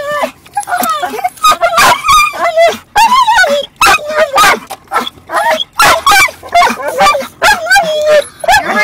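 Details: A dog making funny noises in a car as another dog shifts about, producing quick bursts of warbling, rising-and-falling whines mixed with sharp, breathy yips in rapid succession.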